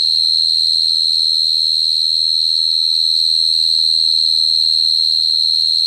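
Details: Cricket singing a steady, unbroken high-pitched trill that holds one shrill note throughout, with a faint regular pulsing of about four beats per second and no other sounds around it.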